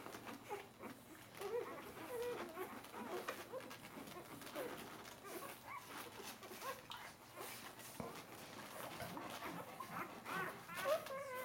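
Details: Bernese Mountain Dog puppies, four days old, crowding together while nursing; scattered thin squeaks and brief whines rise above a steady bed of rustling and snuffling, with a louder whine near the end.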